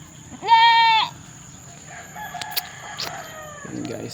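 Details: Young domestic goat with its mother outside, one strong quavering bleat near the start, followed by a person talking and handling noises, under a steady high electrical whine.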